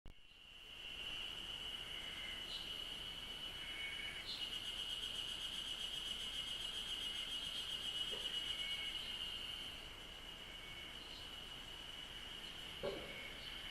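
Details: Cicadas chirping in Japanese nature: a steady high shrill drone holds throughout, with a pulsing buzzy layer above it and brief higher chirps from other insects or birds scattered across, softening near the end.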